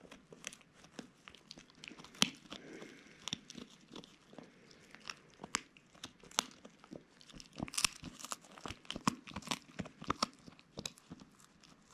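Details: Quiet indoor crunching, tearing and crinkling, like something being chewed, with no bark, whine or other animal call heard.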